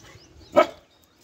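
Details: An Italian Greyhound and Argentino mix acting as a guard dog gives a single sharp, mid-pitched bark.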